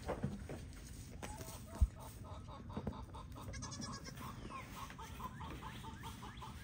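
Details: Newborn pygmy goat kids joining the herd at Pygmy Harbor Farm in Knoxville, Tennessee; a series of short, evenly spaced nasal bleats repeats through the latter half over a low rumbling farmyard background.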